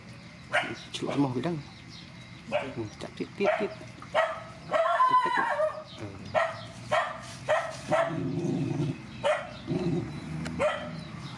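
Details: Rescued mother dogs and puppies at feeding time give a run of short, sharp barks and yips, spaced roughly every half second to a second, mixed with human voices nearby.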